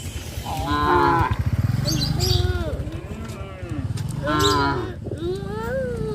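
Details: Village farm cattle out on a highway give a run of repeated moos, deep and throaty with strong low rumbling, overlapping calls rising and falling across six seconds with barely a pause.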